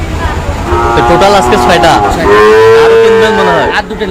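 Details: Cattle bellow at a rain-soaked Manikganj market in Bangladesh during Eid, with a Sahiwal bull bought there; two long, steady moos, the second louder and held about a second and a half, over voices.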